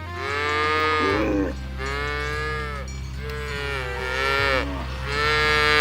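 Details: Village cattle in a herd, pushed through a rice field ditch on the way to their pen. Four mooing calls follow one another closely, each a rich, wavering low bellow, over a constant deep hum.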